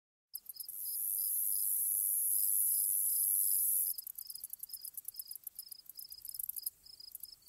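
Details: Grasshoppers in an ambience recording: after a brief silence, a steady high, hissing buzz rises and holds with a soft pulsed chirp repeating beneath it, then breaks into rapid, stuttering bursts of clicks for the last few seconds.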